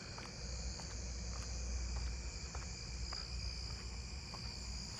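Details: At night in a neighbourhood, many narrow-winged tree crickets (Oecanthus niveus) in a single tree give a chorus of steady, high, shimmering trills over a low background rumble.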